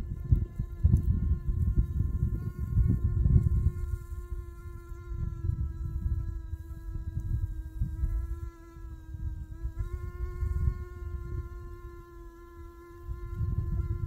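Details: Honey bee buzzing, a steady droning hum with a constant tone and even overtones, wavering slightly in loudness throughout, over low rumbling background noise.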